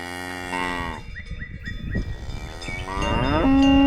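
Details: Cow mooing: a low, drawn-out harmonic moo with a sliding pitch at the start and another near the end. Chiming bell-like music tones and a steady musical note play over it.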